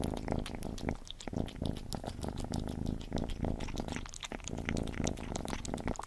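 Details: Gordy the cat eating, heard very near: continuous low purr-like rumble under quick, irregular wet chewing and smacking clicks, short dips in loudness between mouthfuls.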